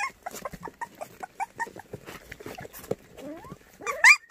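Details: Several white puppies, among seven white dogs up for adoption in Cheongdo, Korea, give high squeaky whimpers, short rising and falling squeals repeated in quick bursts, ending with a louder upward-sweeping yelp.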